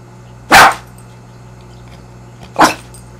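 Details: Six-month-old dog Fidget, who dislikes being stared at, gives two sharp, loud single barks about two seconds apart against a quiet room with a low steady hum.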